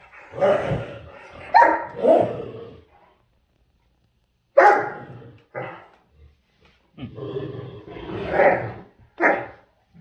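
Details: Great Dane in a scrap with a little dog that holds its ground: deep, rough barks come in uneven clusters with brief silences. Some louder yelping barks stand out.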